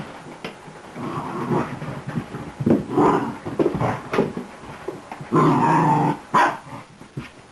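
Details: Newly arrived beagle mix puppy romping wildly at play: rumbling, throaty growls in uneven bursts with a few short yips, ending in a longer sustained harmonic growl and a final sharp yelp.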